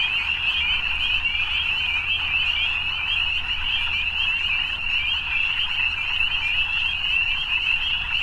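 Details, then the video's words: Evening frogs in full chorus: steady, high, buzzing trill sustained without break, many individuals overlapping, a faint low drone present beneath. "Evening Frogs"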